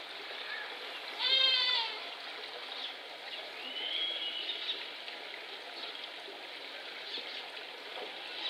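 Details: Young male Himalayan tahr named Lhotse, born 6 July 2019, at Tama Zoological Park in Japan, filmed 30 October 2021. He gives one loud goat-like bleat, short and harmonic, then a fainter drawn-out call, over steady rushing background noise.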